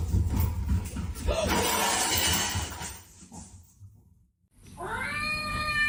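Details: Domestic cat giving a clear, drawn-out harmonic meow after a stretch of loud household noise and a brief near-silence, with people talking and laughing nearby.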